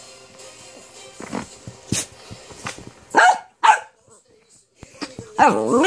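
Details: A female dachshund wanting her ball gives two short, sharp barks mid-clip, then a wavering, nasal whine that rises and falls at the end, with soft rustling and low background noise.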